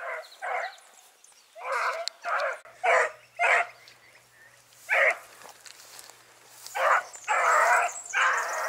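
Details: Hunting Dachshunds giving tongue during a driven fox hunt in Victoria on 23 October 2022. Harsh, noisy barks come in irregular clusters and grow denser and more overlapping toward the end. A faint steady low hum runs beneath.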